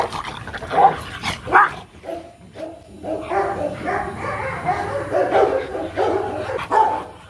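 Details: Rottweilers during a mating session in Hanoi, Vietnam, the male Marvin Gervi courting the female Kacyno Gervi. A few sharp barks open, then a run of softer whining yelps and grumbles, irregular in rhythm, with a low hum behind.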